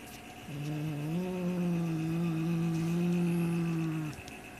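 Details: Low, continuous growl lasting about three and a half seconds, with a slight rise early on and then holding steady, from a white Siamese cat defending its black toy rat and unwilling to share its prey.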